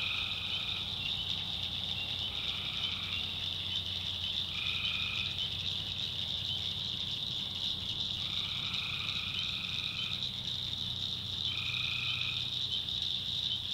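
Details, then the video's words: Nighttime tree frog chorus from North Carolina backwoods swamp, a constant shrill trilling wall of sound, overlaid by five longer buzzy calls, each lasting about a second, at irregular intervals. "Swamp Sounds at Night - Frog Heaven - Frogs, Crickets"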